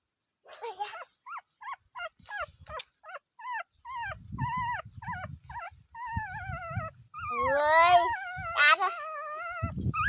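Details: Dog whimpering in a run of short, high, rising whines, about one every half second, lengthening into longer wavering cries near the end, with low rustling and thumps underneath.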